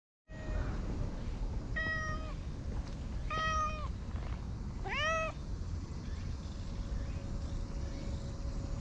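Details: Light brown and white cat with a sullen face, being petted and rolling around happily: three separate meows, short nasal calls rising and then falling, about 1.5 seconds apart, with steady low background rumble.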